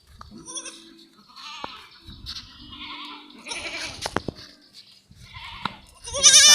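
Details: Newborn goat kid on a farm, just born; thin, quavering bleats rise and waver in short bursts, mixed with people talking nearby and a loud rustle at the end.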